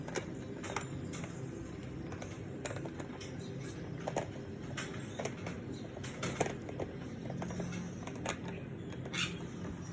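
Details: Scattered clicks and tapping knocks over a low indoor hum, with no clear animal call.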